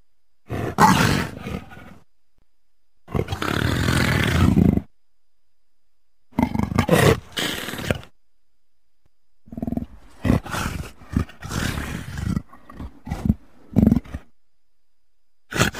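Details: Five groups of coarse, grating leopard roars, some single and some in quick stuttering runs, are separated by silent gaps of one to two seconds.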